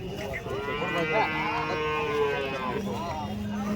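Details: Cows at the Chalisgaon cow market on Saturday, 23 March: a drawn-out moo with wavering harmonics lasting about two seconds, overlapped by people talking and a low hum, ending with a steadier lower tone.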